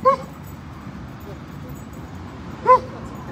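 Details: Siberian Huskies playing and swimming at a lake in a Colorado dog park on a road trip; two brief, clear, slightly arched yelps, one at the start and one near the end, over a steady outdoor hum.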